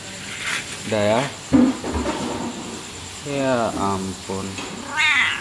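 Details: Domestic cat living at a coffee shop in Aceh, Indonesia, keeping its owner company through the night until dawn, described as very affectionate; several drawn-out, voice-like meows that rise and fall in pitch, the last one higher and whinier.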